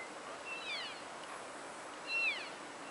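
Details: Elk wintering at Oak Creek wildlife area, Washington, giving two high, thin chirps that slide steeply downward, about a second and a half apart, over a soft hiss of open-air background.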